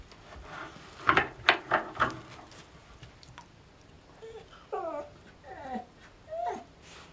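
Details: Female Siberian Husky stuck under a coffee table indoors, after getting bored and adventurous, answering a person's voice with a run of falling, tonal whines. Short spoken words come first, in a small, echoing room.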